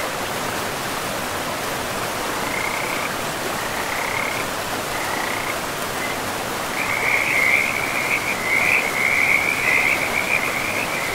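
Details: Frogs beside a river in a pristine forest with moss-covered land: a few short high trills early on, then a longer run of rapid, continuous high-pitched trilling over the steady roar of rushing water.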